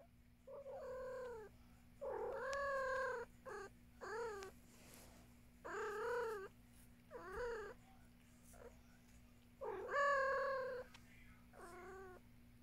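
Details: Domestic cat Luna meowing in a small room, about eight harmonic meows over twelve seconds, some drawn out with a rise then a fall, others short and clipped, with brief pauses between them and a steady low electrical hum underneath.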